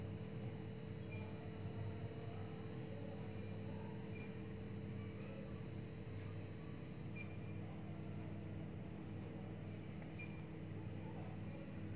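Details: Steady low indoor hum with faint electrical whine and soft clicks; no animal voice is heard.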